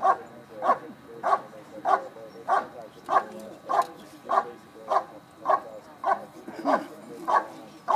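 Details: At an IPO trial, the 2013 Schutzhund USA Nationals, a dog performs a bark and hold, giving a steady run of about thirteen sharp barks spaced roughly 0.6 seconds apart over low background chatter.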